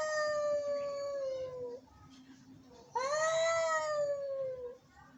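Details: Angry cat meowing: a long, steady, slightly falling moan of nearly two seconds, a short pause, then a louder rising and slowly falling wail; faint low background hum between calls.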